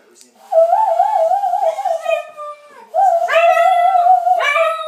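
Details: Milly, a pet dog, sings along with a person indoors: a warbling, vibrato howl that slides slightly downward, then a brief break and a second sustained, steady-pitched howl with bright overtones.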